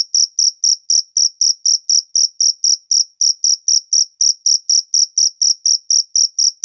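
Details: Wild cricket calling with rapid, shrill chirps at a steady rhythm, each short pulse clearly separated, repeated without a break across the whole stretch; no background sounds.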